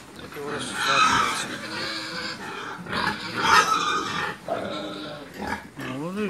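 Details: Pigs with piglets calling in Georgia: rough grunts and snorting bursts roughly every two to three seconds, mixed with loud human speech close to the recorder.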